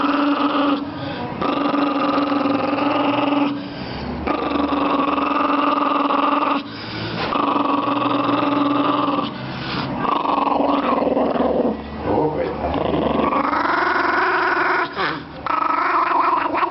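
A Chihuahua snarls in long, rough, rumbling bursts broken by brief pauses for breath.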